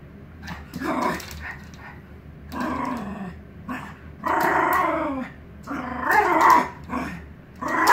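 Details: Miniature pinscher wanting to play with squirrels, giving a series of whiny, growling vocalizations in bursts about a second long, rising and falling, with short pauses between.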